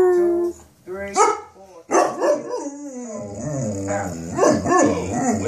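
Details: A Cane Corso 'singing the blues': drawn-out, wavering howls that slide up and down in pitch, broken by short gaps and rising yelps near the end, with a faint high background hum.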